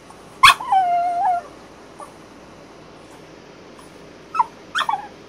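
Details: French Bulldog, female, ten days after back surgery, on strict crate rest and vocalizing her dislike of the crate: one long high whine falling and levelling off, then silence, then two short yelping whines near the end.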